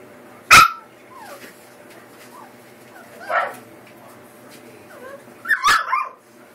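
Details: American Eskimo Dog puppies, a litter of male pups eight weeks old: three sharp, high yips spaced a few seconds apart, with soft whines and rustling between.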